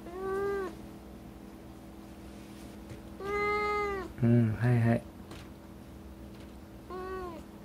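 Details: A rescued former stray cat with black-and-white hachiware markings replies while being scolded for eating something it should not have. It gives three short meows a few seconds apart, with a brief louder low voice in between.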